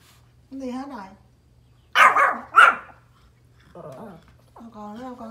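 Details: Pomeranian outdoors barking at deer: two sharp, loud barks in quick succession, framed by a woman's soothing speech before and after.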